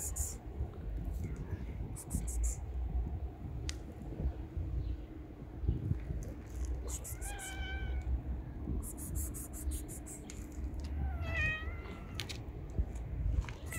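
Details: A street-dwelling mother cat and her three kittens, each a different colour; two brief, bright meows rise over steady low rumble and background noise, with faint chirping bursts in between.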